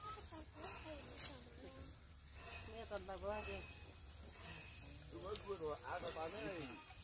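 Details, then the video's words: Baby macaque, abandoned by its mother, lying on the ground and crying: bursts of wavering, harmonic cries that rise and fall in pitch, clustered near the start, middle and end, over a steady low rustling background. "Baby monkey lying on the ground crying"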